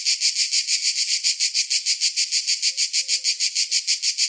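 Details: Cicadas on a summer day: an evenly pulsed, piercing buzz, about three to four throbs a second, very regular, with a faint low tone briefly underneath midway.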